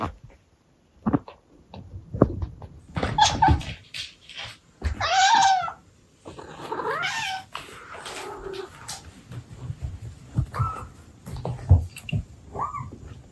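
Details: ["Domestic Abyssinian mother cat's baby talk with her kittens: scattered rustles and thumps, then a loud arched meow, a chirping trill of short calls, and a brief rising chirp near the end."]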